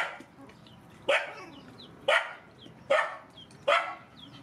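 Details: Rescued mother dogs and puppies eating; four loud barks roughly one second apart, each short and bright, over a soft background.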